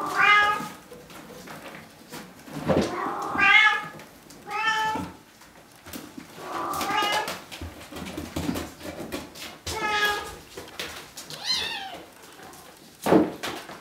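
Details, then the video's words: A crowd of Bengal kittens at Wildrose Bengals, eleven 5-week-olds and two almost 8 weeks old, meowing repeatedly, about seven overlapping rising and falling cries in quick succession with thumps and handling noise. "Tons of Bengal Kittens!!"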